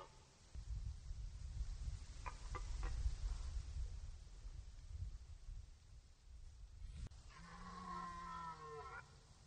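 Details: Red deer in the rut on Poland's Orzysz military training ground, archival recording: a steady low rumble of wind or noise with a few faint clicks, then one harmonic roar near the end that lasts under two seconds.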